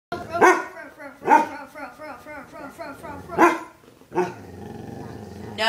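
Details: A pet dog barking nonstop: several sharp barks with howly, wavering yelps between them, while a woman repeatedly says no and shush.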